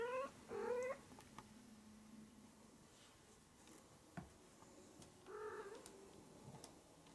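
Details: Maine Coon kitten, 20 to 25 days old, gives two short mews in the first second. They are high and harmonic, and the second rises slightly. A quieter mew follows after a pause of about four seconds, with a low steady hum and faint clicks between them.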